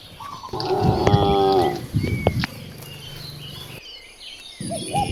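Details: One cow in a free-roaming herd of dozens in nature gives a single long, rich, steady moo early on. Rustling and low rumble follow, then brief arched bird calls near the end.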